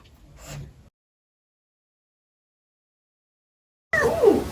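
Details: Kotetsu, a pet cat, in a compilation of his meowing scenes: a brief human voice, a long silent gap, then one loud meow that falls in pitch at the end.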